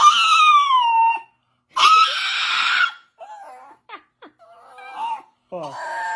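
A deaf dog gives strained, wailing yelps with falling pitch instead of a normal bark.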